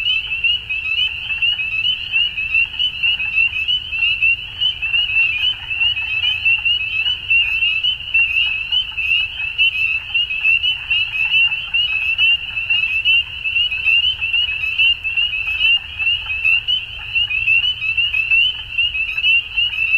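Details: A dense chorus of frogs at dusk in spring in Ontario, Canada, gives a steady, high, shrill trilling that never pauses.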